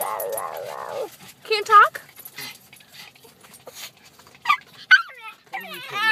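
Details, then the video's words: A chatty pet dog named Donovan makes a drawn-out wavering moan, then brief quavering whines and a final warbling utterance, while a person speaks to him. "My dog Donovan loves to talk!"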